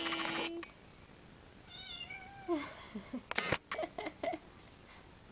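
A Persian cat gives a brief, tonal meow that dips and rises, amid indoor knocks and clatter.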